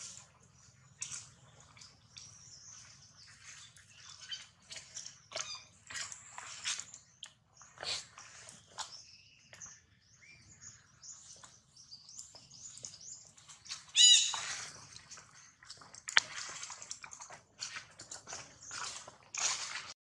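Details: High, piercing screams and wailing cries from the baby monkey Jinx after Jade bites him hard, repeated in uneven bursts with one loud shriek midway and quieter sobbing squeals between.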